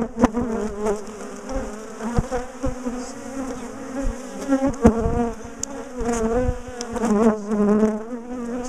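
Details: Defensive bees from a big colony that had been ambushing and chasing its owners down the garden, heard as the top bar hive is dismantled and split for moving: dense, steady low buzzing of many bees with harmonic bands, broken by sharp knocks and clicks of handling.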